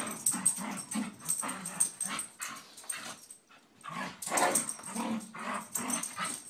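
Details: Scottish Terriers McGee and Mackie wrestle in play, giving loud, throaty growls in rapid rough bursts, one short pause midway, then more snarling grumbles; scuffling of bodies and paws underneath.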